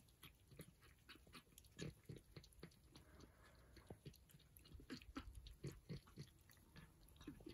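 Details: Persian cats eating breakfast: soft, rapid wet chewing and smacking clicks, about three or four per second, uneven and close, with low thumps beneath.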